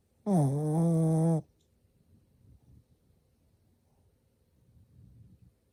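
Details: A sleeping male Shih Tzu named Shishimaru, born March 2015, lets out an old-man-like snore: one loud, deep, droning rasp lasting about a second, dipping slightly at the start, then fading into soft, quiet breathing.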